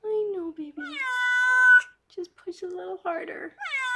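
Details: Rescued pregnant foster cat Harlequin, indoors while giving birth to six kittens, gives a long low wavering meow, then a loud drawn-out higher mewing cry; brief human speech follows before a final rising meow.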